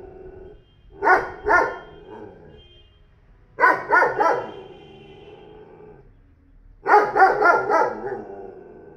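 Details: A 40 kg dog recently bought by a neighbour barks in three separate bouts of two to four strong, evenly spaced barks, each bout followed by a few seconds of quiet.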